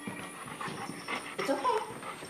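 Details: Dog panting as a young puppy on her second day home meets a huge four-year-old male Golden Retriever; quick breathy rhythmic huffs throughout, with a woman talking and encouraging the dogs nearby.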